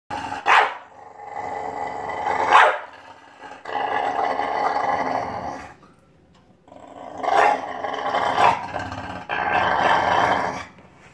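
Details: A playful English Bulldog growls and grumbles in bursts, with a few sharp barks in between.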